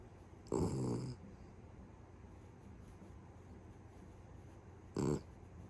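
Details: Pet Beagle asleep and snoring heavily, its snores said to escalate until they sound like a grown man's; two loud raspy, rattling breaths about four seconds apart over a low steady indoor hum.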